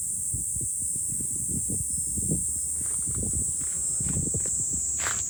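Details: Cicadas in July on a high lookout above Fukuoka city, Japan: a steady, unbroken high shrill hiss holds throughout, while low thumping footsteps and handling noises patter beneath it.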